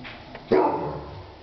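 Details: Chart Polski (Polish Greyhound) puppy barking during a test of the puppies' reactions: one short, sharp bark that starts abruptly, then fades, over a faint, steady background hum.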